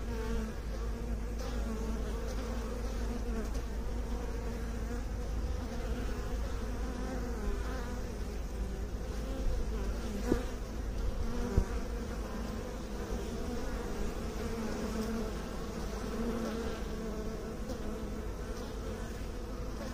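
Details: Steady drone of bees lasting the whole stretch, a low, layered buzz that barely changes in loudness, broken only by a couple of brief clicks midway.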